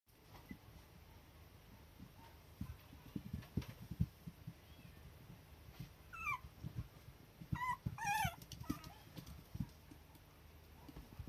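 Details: Toy Poodle puppy wanting to play, tail wagging and acting affectionate; a few short high rising and falling whines around the middle, amid soft thumps and shuffling noises.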